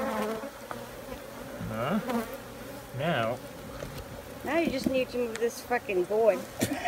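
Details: Honey bees buzzing around the recorder, repeated rising and falling whines as bees sweep close by over a constant low hum, becoming busier in the second half.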